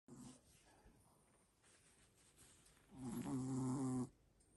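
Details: Sleeping Chihuahuas snoring indoors: one long, low, buzzy snore lasting about a second, with quieter soft breathing before it and faint hiss throughout.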